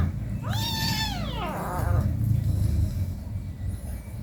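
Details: Domestic cat meow at home while an 18-day-old kitten plays with its mother: a single clear, harmonic meow that rises briefly then slides downward, over a steady low rumble.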